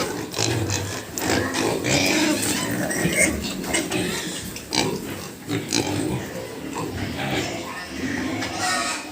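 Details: Pigs at a pig farm give rough, broken grunts and snorts in irregular bursts, mixed with a person talking and scattered clattering noises.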